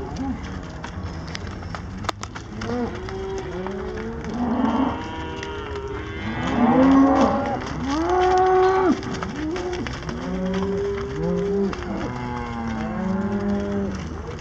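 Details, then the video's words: Many cows on a farm, thirty-three in the herd, mooing in overlapping calls; several animals low and droning, others rising and falling in higher, longer moos, with calls following one another almost constantly. "Alkira Farms 33 Cows"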